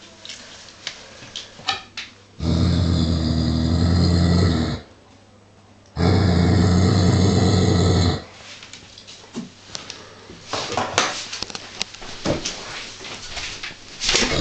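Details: A 49 kg male Giant Schnauzer unsettled by a wooden toy sheep topped with real sheepskin gives two rumbling growls of about two seconds each, followed by rustling, clattering and handling noises.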